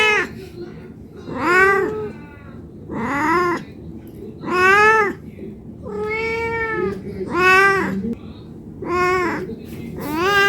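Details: Hungry cat begging for food with a steady run of about eight meows over ten seconds. Each rises and then falls, and a quiet background hum sits under them.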